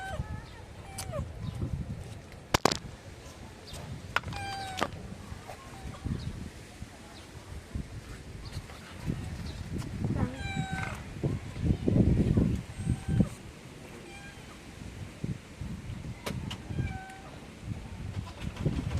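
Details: Tabby street cats running up to ask for food, one of them angry; several short harmonic meows come in separate bursts spread across the stretch, over low traffic rumble, scuffing and occasional human voices.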